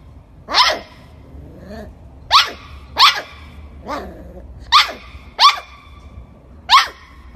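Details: Golden Retriever barking in short, loud, bright bursts, seven barks spread over about seven seconds at uneven intervals, with little else audible.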